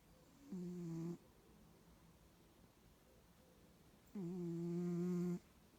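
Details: A Bengal cat, noisy whether awake or asleep, gives two loud, low buzzing snores, the first short and the second over a second long, with a rich nasal drone and silence between.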